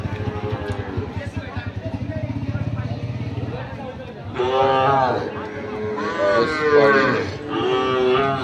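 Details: Sahiwal bull calves for sale at Ambari cattle market, Dinajpur, 6 November 2023; a puttering engine fills the first half, then several strained, wavering moos follow one another over faint voices.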